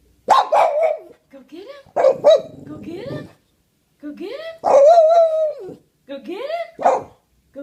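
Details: A male Boston Terrier gives drawn-out, wavering howls and yowls in short bursts, mimicking a sound.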